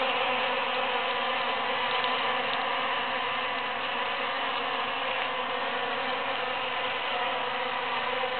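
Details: Bees foraging among huge cactus flowers following the June 22, 2013 Super-Full Moon; an even, unbroken hum from a crowd of insects, rich in overlapping buzzy tones, holding steady.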